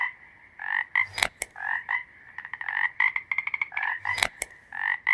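A frog gives rapid, buzzy croaks in pulsed bursts, with brief clicking noises between them.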